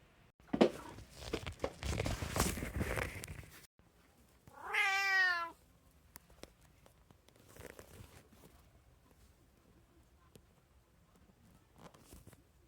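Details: Pet cat from a three-cat home (tabby, Munchkin, Abyssinian), 6 January 2024: several seconds of rustling and handling noise, then one clear drawn-out descending meow, followed by quiet with a few faint scrapes.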